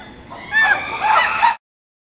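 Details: Chimpanzee screaming: one loud, harsh, strained cry lasting about a second, wavering in pitch with rich harmonics, then cutting off into silence.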